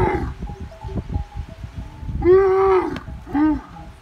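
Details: Camel calling in a desert setting: a rough, harmonic moaning call around the middle lasting about half a second, followed by a shorter rising-falling grunt, over low rumbling and scattered knocks.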